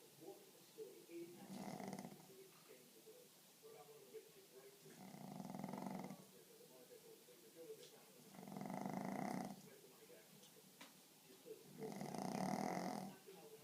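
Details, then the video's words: A pug asleep indoors, snoring: four slow, rasping snores, each lasting about a second, spaced roughly every three and a half seconds, with quiet breathing between. "Snoring Pug"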